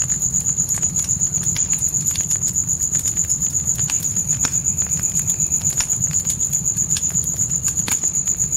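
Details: Natural night crickets in a dark forest beside a campfire in a tent: a high, thin pulsing trill repeating about four times a second without pause, over deep, steady fire crackling and a low rumbling hum.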